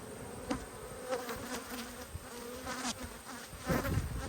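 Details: Hive inspection of a well-populated honey bee colony with good brood, 19 March 2022: a continuous low buzz with a clear overtone, briefly wavering, mixed with occasional knocks and clicks from the frames.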